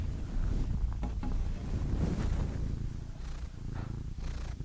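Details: Domestic cat purring softly, a low rumble less evenly paced, with a few faint rustles or breathy sounds over the top.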